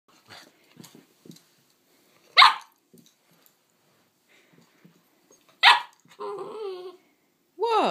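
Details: Nine-week-old Giant Schnauzer puppy climbing onto a sofa: two sharp, short barks about three seconds apart, then whining yelps that fall in pitch. Soft clicks and taps come between them, and a person speaks right afterwards.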